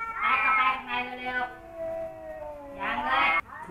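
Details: Two rival male domestic cats, Kaopat and Ronja, who never got along, face off with long drawn-out wavering yowls. Two loud rising wails bracket a quieter sustained moaning tone in the middle, all richly harmonic.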